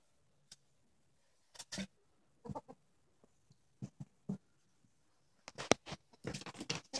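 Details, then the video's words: Two ferrets, Gara and Millie, playfight in the evening, giving short clucking bursts in irregular clusters that grow busier and denser toward the end. "An evening ferret tussle"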